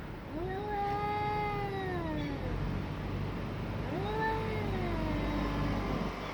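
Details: A pair of cats squaring off in a fight, one producing two long, harmonic-rich yowls that swell, hold a sustained tone, then sag downward, separated by a pause of about a second, against a constant low rumble.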